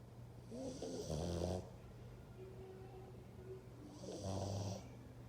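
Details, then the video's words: Dog snores twice, each a harsh, rasping inhalation of about a second, with a soft breathy pause between them and a constant low electrical hum underneath. "Dog roncando"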